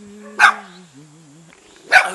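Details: Jindo dog, with a spotted Baduk dog, in a house's front yard in a mountain village near Jeonju, North Jeolla, Korea, barking to welcome a guest: two sharp barks about one and a half seconds apart over a steady musical tone.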